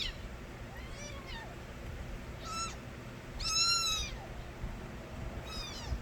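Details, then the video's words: Kitten-era crying of the street cat Nabi's young strays. Repeated loud, rising-then-falling meows are stacked with bright overtones, the strongest near the middle, and several kittens overlap against a steady low hum. "새끼고양이들의 우렁찬 울음소리"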